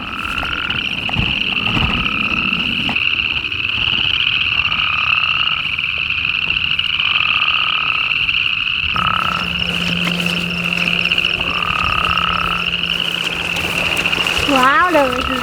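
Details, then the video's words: A chorus of toads by a pond on a homestead gives long, steady, high musical trills that overlap without a break; they stop when approached. "You can hear these toads. I'm going to try to get as close as possible. I have to be quiet otherwise they'll stop. loud over here."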